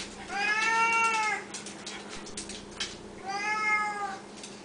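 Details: Hungry Siamese cats meowing at feeding time indoors; two long, loud, bright harmonic meows, each over a second long, separated by a quieter gap with faint rustling and a short human murmur.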